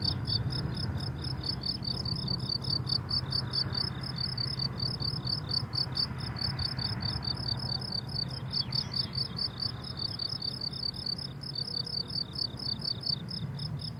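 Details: Crickets on a blooming summer meadow, giving a steady chorus of rapid high pulsed chirps with a bright overtone above, many repeats per second, layered over a low rumbling background.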